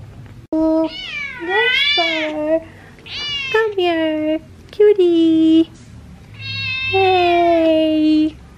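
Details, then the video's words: Indoor Persian cat described as talking while ignoring its owner, giving a series of drawn-out harmonic meows that rise and fall, some long and wavering, with short pauses between; soft female voice speaking quietly nearby. "persian cat ignores me ..talking cat"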